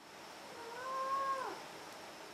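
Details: Domestic cat indoors giving a single drawn-out meow, rising then falling with a clear harmonic stack, lasting under a second, over a steady faint background hum.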